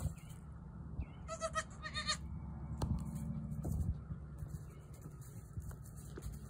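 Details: A newborn female goat tries to jump around, giving a quick run of short, strained bleats in the middle, with clear layered overtones. A constant low droning hum and scattered knocks and clatter fill the background.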